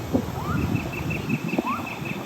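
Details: Distant gibbons singing in a forest at Cha-am, Phetchaburi, Thailand give two rising, whooping upslurs about a second apart. Faint, evenly spaced high notes from birds and insects run through the background, with wind rumble.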